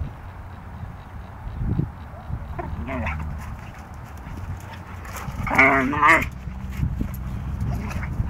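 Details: Siberian Huskies Delta and Molly at play, wrestling: low growls and grumbles, then a pair of loud wavering yowls near the end, each climbing and bending in pitch before dropping back to grumbling.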